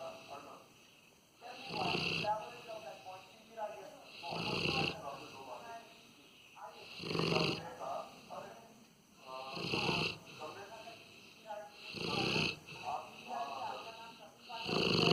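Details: A sleeping male Rottweiler snores in deep, rasping breaths that come roughly every two and a half seconds.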